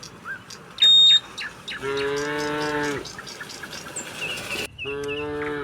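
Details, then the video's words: Cattle returning to the pen, running down a hill: one sustained low moo lasting over a second, then a second moo starting abruptly, with a sharp whistle-like tone and bird calls around them. "suara sapi moo"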